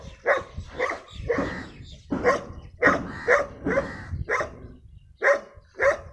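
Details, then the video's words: Rare-breed brown dog, said to be very dangerous, gives a run of deep, rough barks, some doubled, about two a second with a short gap near the end, low background hum throughout. "Dog barking"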